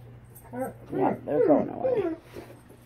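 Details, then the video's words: Alaskan Malamute reacting to a Tennessee Mountain Man Bigfoot, or Sasquatch, recording: a run of loud, harmonic, talking-style woos that rise and fall over about one and a half seconds, with a low steady hum underneath. "Malamute Reacts To Tennessee Mountain Man-Big Foot AKA Sasquatch"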